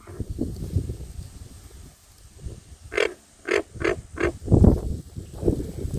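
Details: American bullfrogs calling to each other in the wetlands of Merritt Island Wildlife Refuge, Florida, give deep, resonant, burping calls in quick, repeated bursts over a low background rumble.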